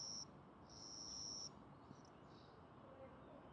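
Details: Captured young cricket calling inside a house, wings spread, a call tied to territory disputes; a short trill, then a longer steady high trill that stops, leaving quiet room noise.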